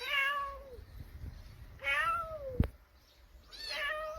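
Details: Cat crying where kittens are being kept: three drawn-out meows about two seconds apart, each starting high and sliding downward, with a brief sharp knock between the second and third.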